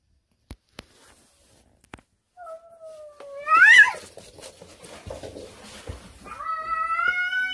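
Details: Wary mackerel tabby house cat meowing at home; a long falling-then-rising meow, a brief sharp rise, then another drawn-out tonal meow, with a few clicks beforehand.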